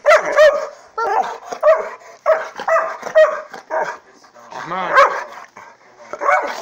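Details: A Saint Bernard and Pit Bull mix dog, jealous over his owner, indoors: a run of sharp, high barks and yips in quick bursts, about one every half second, with short pauses between groups.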